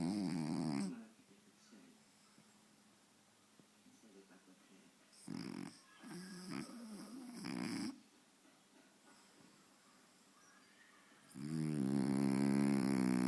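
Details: Faro, a French Bulldog, sleeping deeply indoors in front of the TV, snores in loud harmonic rasping bursts: one at the start, two close together midway, and a long one at the end, separated by quiet room hiss.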